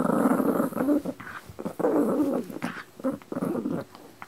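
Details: Dog growling indoors in a small room: rough, low, rumbling growls in three bursts of about a second each, separated by short pauses, with brief sharper snorts between them.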